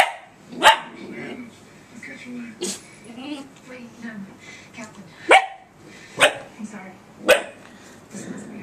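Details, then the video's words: Short high barks from Faith, a young female puppy reacting to her reflection off a laptop, scattered among quiet human chatter, several yaps clustered near the end. "faith barking at her reflection off the laptop!"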